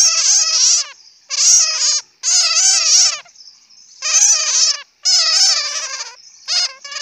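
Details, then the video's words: A bat chatters in long, dense runs of quick squeaky pulses, four or five bursts separated by brief pauses, shrill and harmonic-rich, in a quiet setting. "Bat sound ( suab puav quaj)"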